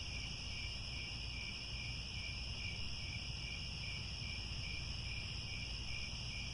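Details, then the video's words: Crickets calling at sunset in Cambodian grasslands at Angkor Wat: steady, high, buzzy trilling in layered bands running throughout, accompanied by a noticeable low rumble. "The Sound of Crickets at Sunset"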